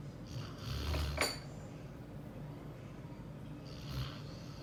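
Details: Sleeping Border Collie gives two low, rumbling snores about three seconds apart, each carrying a breathy hiss, with a brief clink like cutlery between them.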